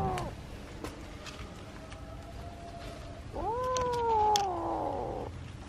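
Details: A kitten calling out when it wants to demand something: a faint meow at the start, a quiet pause, then a louder, long, wavering meow that rises and slowly falls, with light clicks in the background.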